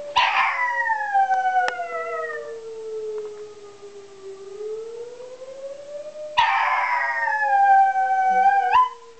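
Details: Cooper the dog howls at a tornado siren, two long harmonic howls, each beginning with a burst and then sustained with a slightly falling pitch. Between them the siren's slow rising and falling tone carries on alone.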